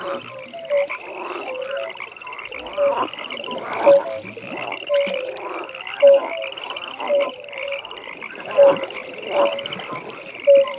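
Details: Frog at a pond at night: a single louder, lower croak repeats roughly once a second, steady and rhythmic, set against a quieter background chorus of high, buzzy pulsed trills from other frogs.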